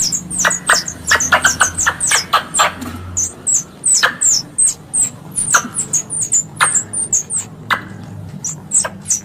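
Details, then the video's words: Hunting lure sound of a squirrel from Indonesia: dense volleys of sharp high-pitched chirps and ticks, then steadier repeated single chips, with a low steady hum behind. "Suara pemanggil tupai / bajing untuk berburu"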